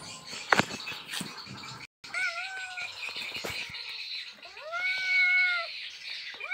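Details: Asian leopard cat, Indonesia, asking to mate with two clear wailing meows, the later one arching and lasting over a second, after some knocks and rustling, with a steady high hiss throughout.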